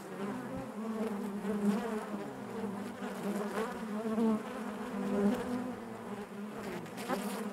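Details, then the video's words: Honey bees in their hive produce a quieter, even, rumbling hum throughout, with gentle rises and dips in loudness and faint crackling from the colony. "bees therapy hive natural buzzing sound"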